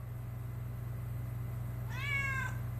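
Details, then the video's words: A domestic cat answers its owner with one short meow, a clear harmonic call that rises slightly and then falls away, over a steady low indoor hum. "Talking with my Cat"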